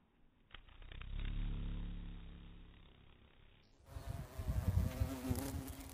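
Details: A very large bumblebee buzzing around agapanthus flowers gives a low, droning wing buzz that swells and fades, followed by a louder, rougher stretch.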